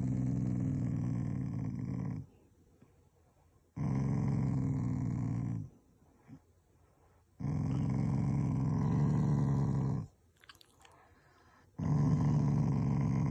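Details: Affectionate growling from a Shiba Inu that is a loving family member, not angry: four low, throaty rumbles, each about two to three seconds long, with brief silent gaps and a faint click between them.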